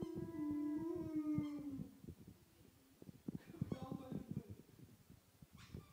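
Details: Alaskan Malamute howling toward a teddy bear indoors: a sustained, wavering tonal howl of about two seconds that slides slightly downward, followed by shorter broken howling notes and scattered clicks and knocks.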